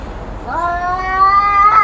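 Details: One of two fighting cats gives a rising, nasal yowl that swells steadily louder and climbs in pitch over nearly two seconds.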